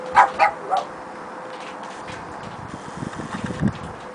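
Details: A Boston Terrier gives three quick, sharp barks at a cat through a door, then falls quiet over a low steady hum.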